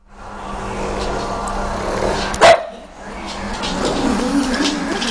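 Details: A pug barking at a pug-shaped pillow indoors: one short, sharp bark in the middle, over a steady low hum and background noise.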